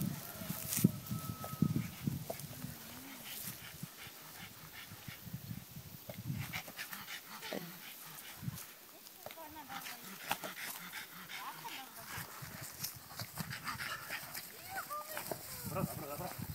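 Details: A French Bulldog hitting a ball like a circus seal gives a run of short, honking, whiny yelps and grunts, with people talking nearby.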